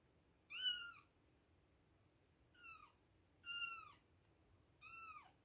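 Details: Four high, thin meows from two-week-old kittens at milk time, each a short bright cry bending downward, spaced about a second or more apart in a quiet room.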